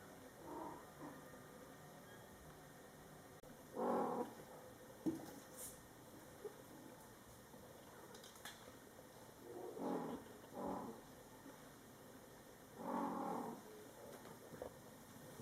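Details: Domestic mother cat Coco calling to her young Scottish Fold kittens, born July 22, 2012: three spaced, short, low mews roughly three to six seconds apart, with faint clicks and rustles in between.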